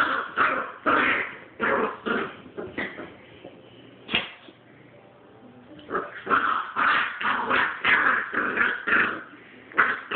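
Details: Puppy growling at an older dog in play-fight, harsh rasping growls and yips in rapid bursts, pausing briefly midway before resuming with dense snarling pulses.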